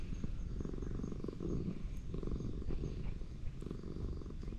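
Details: Old ginger tabby cat in a park, being stroked. Its continuous deep purr runs throughout in pulsing low waves, with no distinct meows and only faint handling noise.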